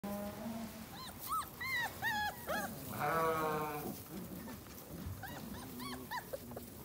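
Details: Kangal dogs at a breeder, a series of short high arched yelps and whines repeated in quick bursts, with a longer harsh bleating-like cry in the middle and steady background noise.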